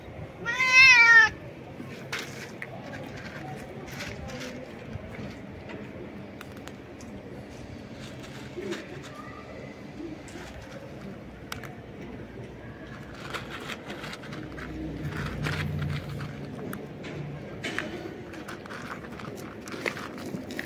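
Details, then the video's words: Stray cat jumping and screaming loudly in joy at food: one loud, wavering, drawn-out meow in the opening second, then a long quiet stretch with faint rustling and brief human voices. "A stray cat jumps and screams loudly to express his joy at the food"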